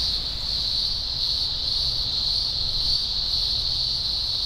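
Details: Green grocer cicadas, thousands singing at a large spring emergence in the Blue Mountains, Australia, October 2020; an unbroken, piercing high whine holding steady throughout.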